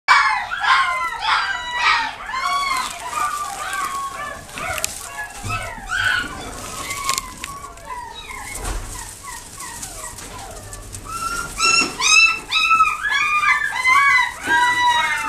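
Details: A female Scottish Fold cat gives high, arching kitten meows, repeated rapidly and overlapping, with a few voices calling at once.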